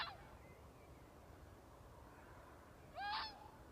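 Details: Fox making a weird noise: a faint harmonic cry at the start, then one loud, hoarse cry near the end that rises sharply and falls away, with steady low hiss between.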